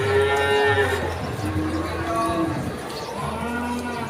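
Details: Cattle at the crowded Pon cattle market in Ambarawa, Ramadan 2024: several long low moos, the first strong and wavering, with a later rising lowing over a murmur of people.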